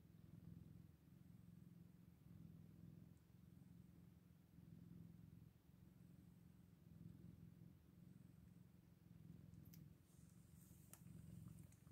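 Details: Quieter, continuous purr from eight-day-old Scottish Fold kittens, a soft rumbling drone with gentle rises and falls, ending with light rustling.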